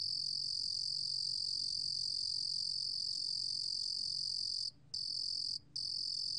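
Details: A Rurugom cricket gives a continuous, high-pitched, shimmering trill that holds a steady tone, breaking off briefly twice near the end, then resuming.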